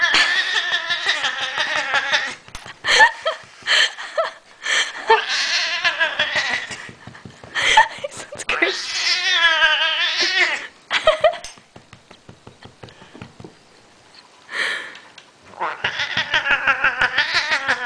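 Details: Male domestic cat wailing loudly while petted backwards and beaten on the sides, which he enjoys; long drawn harmonic wails in several bouts, between them rhythmic thumping pats and people laughing.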